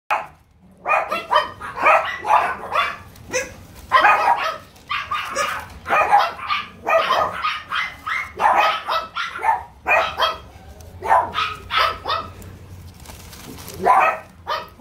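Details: French Bulldog at a breeder, open for viewing until 6 February, giving a dense run of short, sharp yipping barks, one after another almost without pause across the whole stretch, over a faint low background hum.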